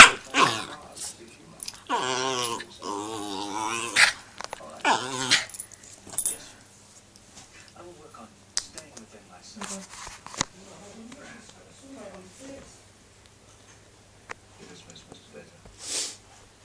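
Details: Young rescued Shih Tzu–Yorkshire Terrier cross dog during play-fighting, making wavering harmonic growl-whines in bursts over the first six seconds, then quieter scattered sounds, a person speaking, and background music.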